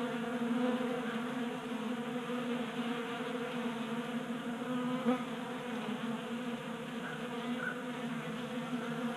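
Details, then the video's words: Group of honey bees feeding from a 3D printed bee feeder, garage in Colorado, January with 60-degree weather; steady droning buzz of many wings, slightly louder early on, with one brief close pass midway. "Honey Bees Feasting from 3D Printed Bee Feeder"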